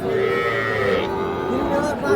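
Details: Cattle at Ambari cattle market in Parbatipur upazila, Dinajpur district, where small bulls and heifer calves are sold on 25/5/26; a drawn-out harmonic lowing rises through a steady din of crowd voices and chatter.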